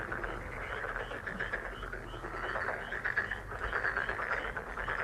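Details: Frogs offered as a lucky, relaxing healing sound: a dense, unbroken croaking chorus with rapid overlapping pulses and faint higher chirping notes repeated above it.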